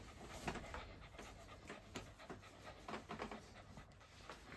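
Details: Boston Terrier panting in quick, breathy puffs: soft irregular bursts of air repeat through about four seconds over a steady low hum.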